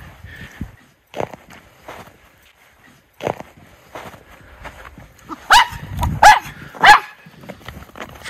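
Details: Off leash in snow during a January 2023 winter outing in Aroostook County, Maine, Miniature Schnauzer brothers Lucky and Levi: after quiet rustling and footsteps, three loud, sharp barks about half a second apart close the recording.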